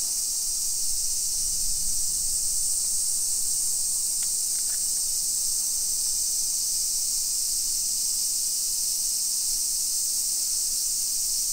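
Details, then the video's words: Summer cicadas singing in a hillside residential suburb of Nisshin, near Nagoya, Aichi, Japan, at 1 PM on 28 July 2021. A steady, high, hissing drone continues without pause, with a few faint clicks and low rumble during a street walk. "Summer Cicadas Sounds"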